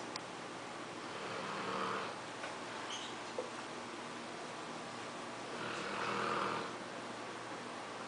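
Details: English Mastiff sleeping in a funny position, snoring softly: two breathy, hissing snores about four and a half seconds apart in a quiet indoor room.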